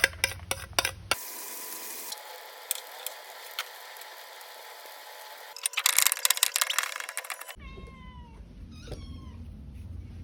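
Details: Cat eating pork rice; clicks and a long hissy noisy stretch give way to several short clear meows near the end, some with bent rising-falling harmonics, over a low steady rumble.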